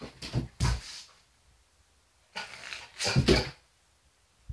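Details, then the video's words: Border Collie named Carl barking indoors at sunlight and shadows on a wall; loud, sharp broadband barks in two pairs, near the start and again past midway, with a short silent gap between, in a small room. "Carl Barking at Shadows"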